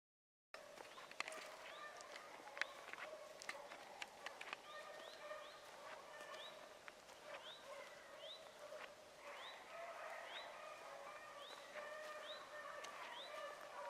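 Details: Rabbit hounds running a rabbit at Salt Lake WMA on the morning of 2 February 2018, a young Oakhill pup among them: sustained, overlapping baying tones drift from a distance, with a repeated high rising chirp every second or so and occasional footsteps.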